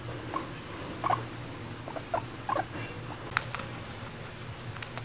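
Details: Female guinea pig adopted at one and a half years old, indoors, seeming to invite eating grass together; short soft squeaky chirps scattered through the clip, some in quick pairs, over a steady low hum.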